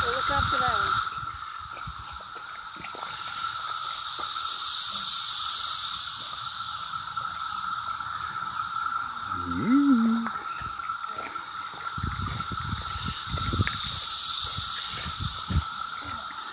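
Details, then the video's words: Cicadas calling in CVNP: a dense, high, hissing drone that swells and fades in slow waves, with a steady lower whine beneath and brief human voices near the start and around the middle. "Cicadas in CVNP"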